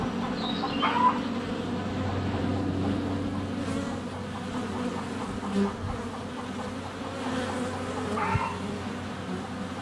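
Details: Honey bees crowding a hive entrance in February sunshine, GoPro Hero 7 Black less than a foot away: constant layered buzzing drone, with brief birdsong twitters near the start and around eight seconds and a few soft knocks.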